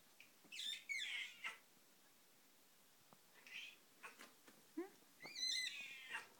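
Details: A 26-year-old cat named Missy meows loudly while waiting for tuna as 15-year-old Kringle is silently served first; three bursts of high, strained meows, with quieter breaks between.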